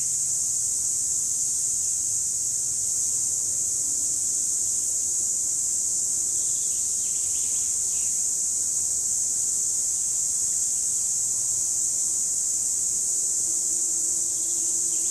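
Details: Cicadas singing in 2017, one constant piercing high buzz dominating throughout, perfectly level in loudness, with faint low background murmur beneath.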